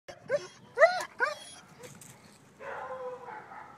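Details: Seven-month-old male German Shepherd barking at someone: three short harmonic barks in quick succession in the first second and a half, followed by a softer drawn-out whine-like sound near the end.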